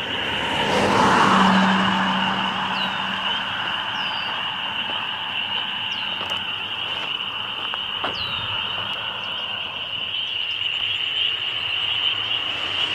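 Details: Loud chorus of spring peepers, a dense band of high peeping merging into a continuous shrill drone, with a few individual rising peeps standing out; a passing vehicle-like rumble swells early on.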